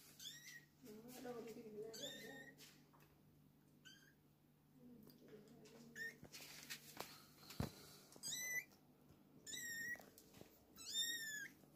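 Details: Kittens with their mother, giving thin, high mews that slide downward. They come in scattered bursts over a low steady hum, with some soft rustling and possible voices in the background.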